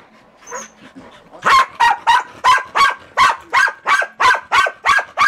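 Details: Pembroke Welsh Corgis barking in response to a video give a rapid, steady string of sharp, mid-pitched yaps.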